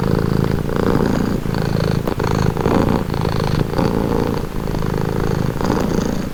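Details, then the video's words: A house cat purrs close by: a rumbling, vibrating hum that pulses with each inhale and exhale about once a second, offered as a soothing, calming sound. "Purring cat | Calming Relaxing Nature Sound"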